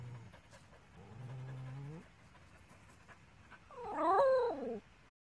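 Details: Dogs at play: a Border Collie puppy with her aunt Zoda while the small dog Zingo is jealous; a low drawn-out whine rising at the end, then a louder wavering higher whine near the close, over faint background noise.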